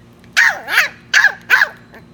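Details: Young West Highland White Terrier puppy, three months old, letting out four quick, bright barks in two pairs, each with a falling, slightly rough tone, against quiet background hum.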